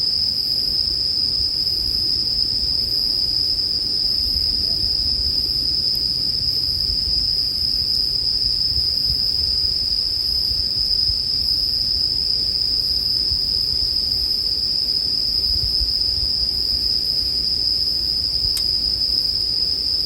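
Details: A sustained high ringing from bell crickets runs without pause, backed by a gentle low rumble and crackle of firewood burning.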